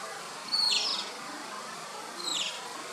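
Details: Asian small-clawed otter pups playing; two sharp high whistled chirps, the second quieter, roughly two seconds apart against constant broadband hiss.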